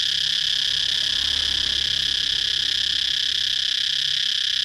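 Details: Cicada singing one long, dense, shrill whine that holds steady from start to finish, with only a faint low rumble beneath.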